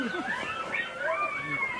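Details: Hungry coyote pack in Northern California: several overlapping wavering, whistled howls and yips sliding up and down at once, a tangled chorus with one high, drawn-out vowel-like tone running steadily through the background.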